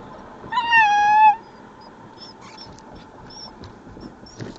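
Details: Dominus, an eight-week-old Alaskan Malamute puppy, gives a single high, drawn-out whining cry lasting under a second that falls slightly in pitch; afterward faint squeaks, and a person scolds him by name before and after.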